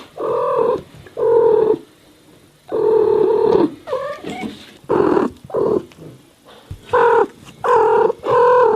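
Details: Cat meows from a mixed compilation: steady, drawn-out mid-pitched meows with rich harmonics, mixed with shorter wavering mews and chirps, separated by short quiet pauses.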